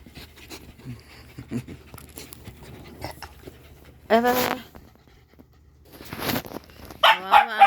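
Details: Pet dogs playing together while waiting for their food, giving a few sharp, rising yelping barks in the middle and a quick burst of high barks at the end, over soft thumps and quiet room noise.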